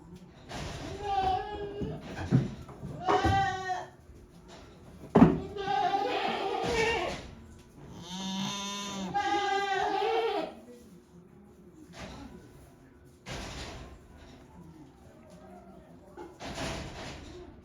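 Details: Goats inside a shed on a handmade goat farm on 5 December 2023, calling in varied and occasionally odd voices: short and drawn-out quavering bleats, a sharp knock midway, and quieter stretches with low rumbling and rustle.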